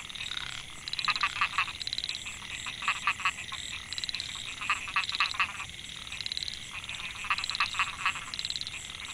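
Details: Narrow-mouthed frogs (Microhyla pulchra) calling in Mae Hia rice field, Chiang Mai, Thailand, 2014; males calling to attract females. Bursts of rapid, raspy pulsed buzzes in overlapping groups every second or two, over a steady high insect-like whine.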